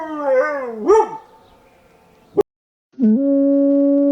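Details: Dog howls from a compilation of Husky and Beagle howls: a short wavering rising howl, a sharp yelp-like rise, a click and a pause, then a steady sustained howl to the end.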